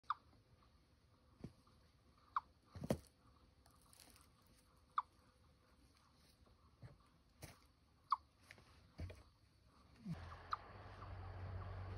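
A chipmunk gives short, sharp chirps at irregular intervals, calling to defend its territory.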